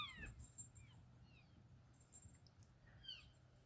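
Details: An animal of about 800 pounds gives a few faint, high, squeaky chirps that sound much like a squeaky dog toy.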